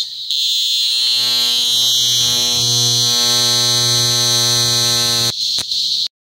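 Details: Cicada vibrating in Parque Ecológico Macuiltépetl, Veracruz, Mexico, amid an explosion of cicadas climbing tree trunks after the rains. A shrill, continuous metallic buzz swells in and holds for about five seconds, then breaks into a few short bursts before ending.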